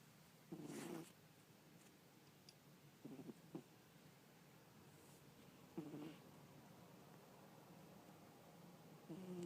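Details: Sleeping pet cat Isis caught snoring at home, four short husky low snores spaced about two to three seconds apart, faint against a quiet indoor background.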